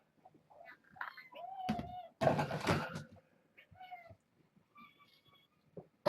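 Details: Indoor kittens from a litter born August 29th, visited by the adult cat Kougra; several short tonal meows with a loud thump and scraping burst in the middle, later faint high meows.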